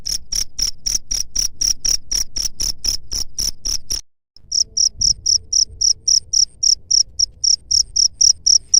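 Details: Cricket chirping, its call meant to drive away rat pests; sharp high pulses about four per second, a brief silence near the midpoint, then the same even rhythm continues.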